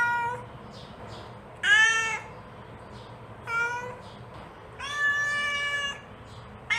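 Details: A mother cat calls to her kittens with four drawn-out harmonic meows at irregular gaps, the last one longest and flat, plus a couple of faint softer mews between them; low background hum.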